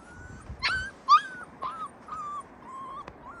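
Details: Captive Yakut wolves in an open enclosure give high, tonal whines, with a sharp yelp near the start followed by a string of short, level whimpers at a steady pitch. Faint background hiss.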